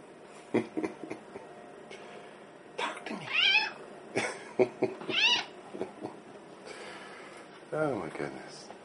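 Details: Female pet cat asking to be let in and fed treats: several short rising-falling meows, some brief chirps between them, while a man talks to her affectionately indoors.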